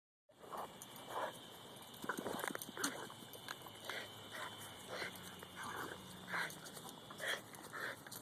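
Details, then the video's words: Female Boston Terrier chasing a goose at a park, making the monkey-like noises she uses instead of barking: soft, hoarse hooting bursts repeated roughly every half second to second, over a steady high outdoor hum. "Boston Terrier making monkey noise"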